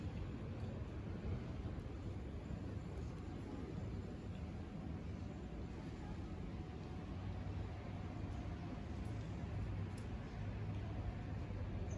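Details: Steady low street and engine rumble outdoors in Istanbul, with faint speech and no animal voices.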